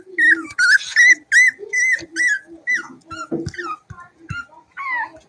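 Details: Cavalier King Charles Spaniel puppies playing indoors in a home puppy pen: high, sliding whines and short yelps in quick succession, some rising then falling, with a few soft low grunts between them.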